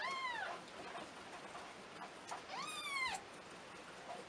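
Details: Domestic cat, a mother nursing her kittens: two high, thin meows, each rising then falling in a rich arch with clear overtones, the second longer and louder, over a steady background hiss.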